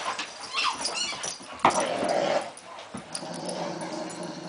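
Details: Male springer spaniel indoors guarding his balls from the household's other dog, a playful rivalry that never becomes a fight; short whimpering yips and a low growl, broken by a sharp knock.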